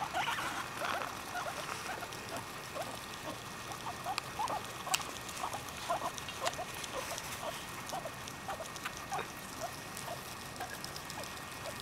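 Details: Pet guinea pigs, among them a black and white Abyssinian named Revy, eating fresh grass and timothy hay; a cluster of thin squeaks opens, then small chirping blips recur through continuous crisp munching and rustling.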